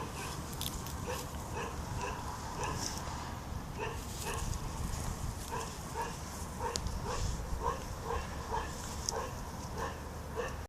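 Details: A puppy playing with a fish gives short, high yips and barks in quick irregular runs across the whole stretch, several every second, over a steady low background rumble.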